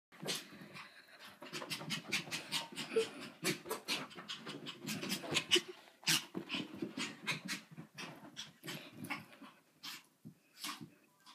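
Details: Pet dog making weird sounds after being filmed for a homework-eating stunt: rapid, breathy pant-like bursts in quick irregular series, with short pauses between runs.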